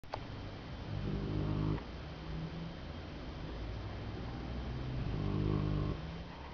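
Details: Golden Retriever asleep and snoring indoors: low rumbling snores with harmonic bands, a longer snore near the start and another near the end, steady background hum between breaths.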